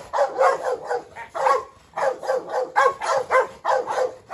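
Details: Three dogs squabbling in a courtyard: a brindle Presa Canario female, a Rottweiler named Pirate and a Staffordshire terrier. Harsh, steady barks come in quick runs, roughly two per second, with a brief lull midway.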